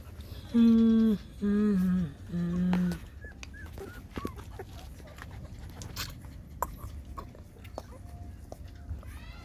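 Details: GiGi, a mother dog, nurses six puppies; three loud, drawn-out whimpering cries about a second apart open the stretch, then soft clicks, snuffles and faint squeaks over a steady low hum.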